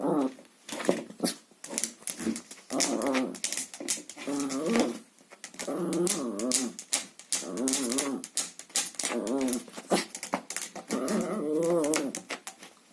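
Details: Chihuahua growling while playing with a vacuum cleaner hose indoors; wavering, throaty growls come in bursts of a second or two, separated by sharp clicks and rattles from the hose.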